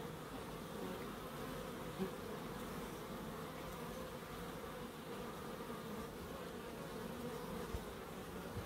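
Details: Bees in a small wildlife garden in Crookes give a steady, even hum with a mid-pitched drone and faint overtones, holding level throughout without pause.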